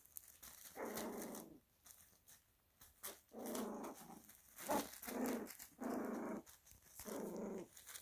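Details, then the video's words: Italian Greyhound puppies growling while playing indoors in America; sustained raspy growls of about a second each, roughly five bouts with short quiet gaps between them, a small room's echo around them. "Italian Greyhound Puppies Growl Play"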